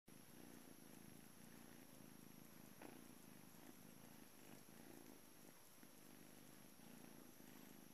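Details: Juno, a blue male British Shorthair cat at the Calmcat cattery, purring in the morning on the day he goes to a new family; soft, steady low rumble that swells and eases in cycles of under a second.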